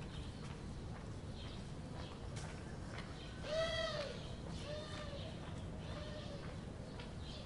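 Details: Domestic cat Elizabeth, a mother nursing her one-week-old kittens: one clear, harmonic mew rising then falling midway, followed by a few fainter short calls, over a steady low rumbling background.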